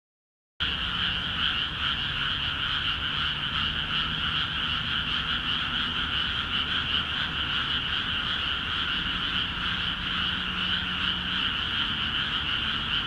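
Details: Dense chorus of frogs calling busily in rice paddies of Akiha Ward just after the fields were flooded; after a brief silent opening, a steady overlapping croaking wall of high rattling trills runs throughout, with no other clear sounds.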